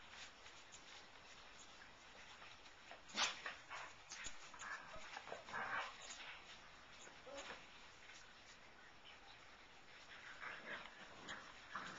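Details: Siberian Husky pups, filmed 20 February 2011, let out scattered high-pitched whines and squeals, with a sharper yelp early on and more bursts of squeaking toward the end, against quiet room hiss.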